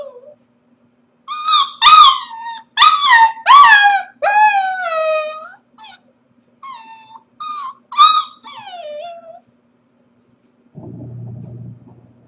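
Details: Corgi puppy left alone at home while its owners are at work, giving a run of high, harmonic whines and yelping howls, some rising then falling, in bursts over about eight seconds, then a short low rustle.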